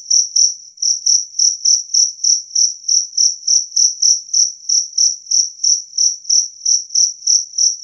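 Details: Two-spotted cricket (jangkrik kalung) chirping clear and loud, said to drive away rats: a steady run of high, sharp chirps repeated about three times a second, evenly spaced, with no other sounds.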